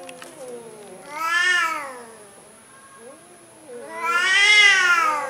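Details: Two loud, long meows from a timid orange cat, each swelling and bending downward in pitch, with a softer short mew between them and a constant high-pitched whine in the background.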